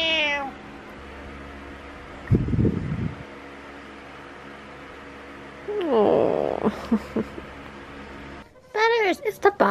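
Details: Uncooperative house cat meowing indoors around a box: a falling meow at the start, a long wavering meow midway, then a final rising meow, with a person's voice and rustling between.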